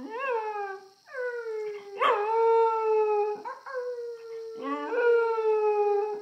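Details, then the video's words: Grandmother's dog howling at an iPhone in a run of overlapping, wavering howls that rise briefly then glide down and hold, almost continuous, over a faint steady high-pitched hum. "Dog howling at iPhone"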